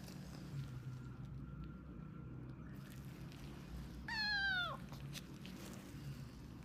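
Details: Two-month-old British Shorthair kitten, sick with a viral infection affecting eyes and ears, during ear cleaning: a single short meow, falling in pitch at the end, over steady low background hum.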